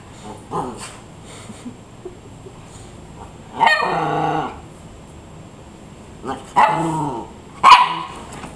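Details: Rat terrier chihuahua mix Jax, 11 months old, playing indoors on a couch with his new rat terrier sister Piper, just over a year old. A drawn-out harmonic whining bark, then two short sharp yips, set against a quiet room.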